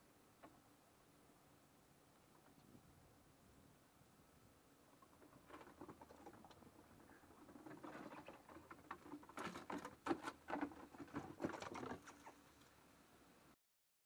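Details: Two squirrels squabbling: a quiet start, then from midway a rising burst of scratchy, rapid chattering and scuffling noises, loudest near the end before stopping abruptly.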